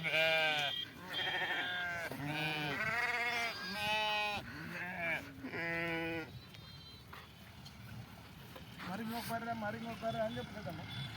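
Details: Sheep being milked, giving about seven wavering, harmonic bleats in quick succession over the first six seconds, then a man talking over quieter bleating and background noise.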